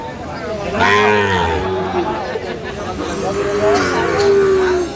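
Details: Sahiwal-breed bull calves at a Chuadanga cattle market on 9 June 2025 give a short low moo, then a longer sustained, slowly falling bellow, while traders talk and haggle nearby.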